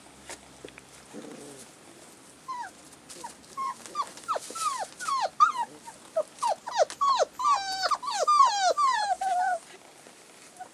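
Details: Thirty-five-day-old collie puppies, recorded 16 February 2012, whine in a dense run of short squeaky yelps that rise then fall, several pups overlapping and growing busier toward the end.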